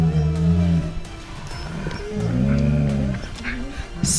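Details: Malamutes grumbling and 'quarrelling' in reaction to a prank with a bag that seems to move by itself; low, drawn-out moaning vocalisations with steady tones, broken by pauses, over background music and a man's voice.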